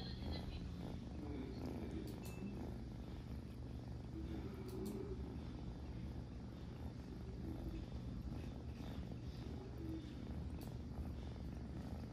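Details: Kitten purring while cleaning himself: a steady, low rumbling purr running without a break, with a few faint clicks and rustles from licking and grooming.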